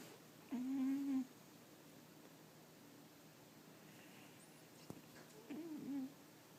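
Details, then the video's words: Samson, a pet dog, snoring in his sleep indoors with a weird noise. Two steady, humming whistle tones: one lasting under a second, then a shorter one with a wavering bend about five seconds later, in a quiet room. "Samson my dog snoring caught on camera"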